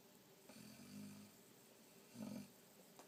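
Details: A sleeping Boxer dog snoring like a human: two low, rumbling snore breaths with a steady harmonic buzz, the first long and drawn out, the second shorter and louder, separated by quiet.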